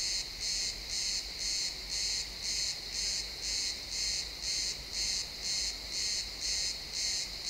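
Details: Crickets chirping in a pine forest at sunset, recorded in XY stereo: regular pulsed trills high in pitch, about two bursts each second, steady and evenly spaced over a faint low rumble.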